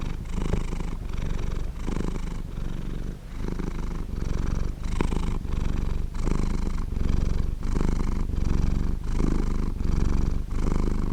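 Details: Long, even purring of a happy domestic cat, clearly recorded: a deep, fast-pulsed rumble alternating with the cat's breathing, forming around fifteen short phases separated by brief gaps, with no other sounds.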